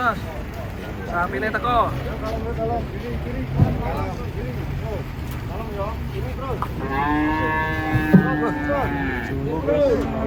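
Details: Cows coming down off a truck, lowing repeatedly: short, choppy moos early on, then a long, loud, sustained bellow near the end, against vehicle hum and background voices.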